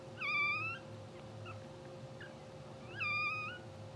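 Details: Two-hour-old English Bulldog puppies from a blue sable litter, sleeping and twitching on a live puppy cam; two high, harmonic squeals with a wavering pitch, about three seconds apart, over a steady low electrical hum.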